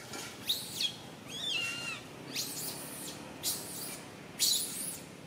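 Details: Little monkey Santo cries loudly on a tree branch while his mother Sara cannot care for him; five separate high, arched squeals with bright upper harmonics, each brief, spaced about a second apart over faint background hiss.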